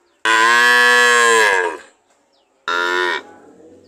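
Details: A cow gives one long, full moo of about a second and a half that sags in pitch as it fades, followed after a pause by a shorter, clipped second moo.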